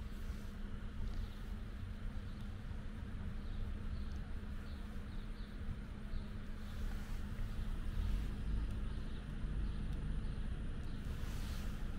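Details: Steady low vehicle rumble outdoors with faint scattered clatter and no clear animal voice.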